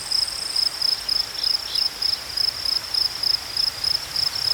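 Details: Cricket chirps repeated in short, even, high-pitched bursts, each a rapid pulse train, over a quiet natural background with no other clear sounds.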